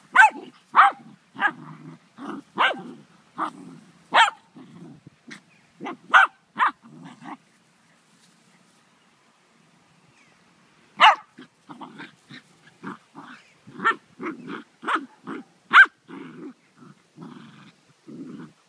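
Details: Poodle and a Dogo puppy at play: rapid low rumbling growls come in bursts, mixed with sharp high yips and barks, a quiet pause of several seconds in the middle, then another busy stretch of growling and yapping.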